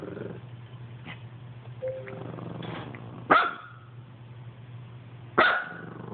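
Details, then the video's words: Dog barking at an Xbox: faint clicks and a brief tone, then two loud, sharp barks about two seconds apart, over a continuous low hum. "Dog barks at xbox"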